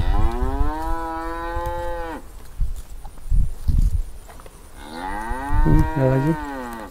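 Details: An angry cow trapped in an irrigation channel beside a grass field gives two long, loud moos, the first steady and the second rising then breaking off.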